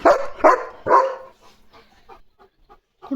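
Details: German Shepherd Leo guarding during a parcel delivery lets out three quick barks in the first second, then quiet with faint speech-like sounds and a soft noise at the end.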